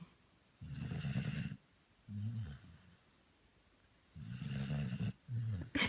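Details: A sleeping Labrador Retriever named Merry snores in low, rumbling bursts: a longer rasping inhale followed by a shorter wheezy exhale, the pair repeating about every three and a half seconds with quiet pauses between.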